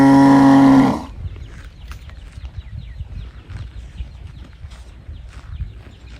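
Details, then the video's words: A calf bawls for its mother, giving a single low, harmonic moo about one second long that cuts off abruptly, leaving a soft rural background hum with faint knocks and rustles. "母親を探して鳴く子牛 ｜本物の牛の鳴き声"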